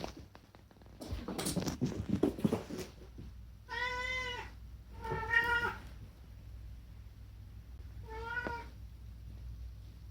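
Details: Chatty rescue cat Unagi indoors: rustling and shuffling first, then two long arched meows back to back and a shorter one a few seconds later, each bright and harmonic, falling at the end.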